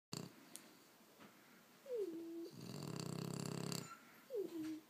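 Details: Two sleeping French bulldogs, one 18 months old and one 6 months old, snoring indoors: a whistling tone slides downward, then a long, rough, buzzing snore follows, and another whistle drops at the end.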